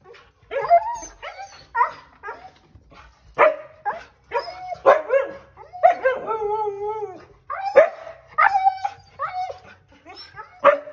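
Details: Two excited Siberian Huskies howling and yipping at the sight of their harnesses before a trip to the dog park; wavering, tonal yowls rise and fall between sharp barks and yips, with bursts overlapping, about a dozen outbursts.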